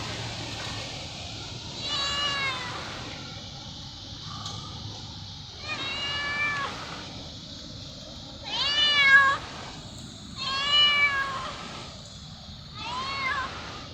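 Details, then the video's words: Fluffy white pet cat, said to be hungry, meows again and again, roughly six wavering harmonic meows every second or two, some louder and more insistent, over light background noise. "Fluffy white meowing"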